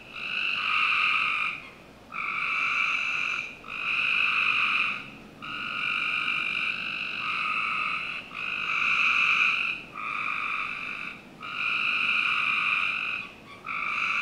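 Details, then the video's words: Summer night in a Northern Virginia backyard: a steady chorus of frogs, buzzy trills of one to two seconds repeating with brief gaps, sometimes running together. "Frog Night"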